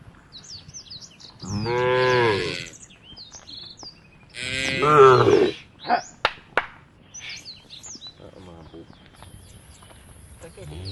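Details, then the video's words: Tame cattle herd walking towards a field at the forest edge: two long, deep, harmonic moos, one around two seconds and a second near five seconds, followed by a few sharp knocks, with small birds chirping throughout. "A herd of tame cows is walking towards the field at the edge of the forest, the sound of the cows"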